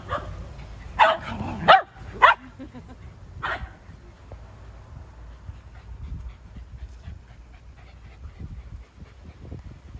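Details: A Shetland Sheepdog at play gives a quick run of three sharp, harmonic barks in the first two seconds, then one more bark a moment later, followed by quiet rustling and low background rumble.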